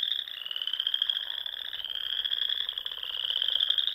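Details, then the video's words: Frogs fill the dusk air at a Sandhills pond in Nebraska in spring, many voices merging into one steady, high, buzzing trill with faint pulsing underneath. "RELAXING SOUNDS OF FROGS"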